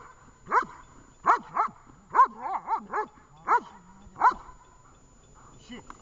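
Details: Training session with the dog Vesta in Horlivka, 20 July 2019: a series of sharp barks, some doubled and triple in quick succession, with brief whiny tails between them.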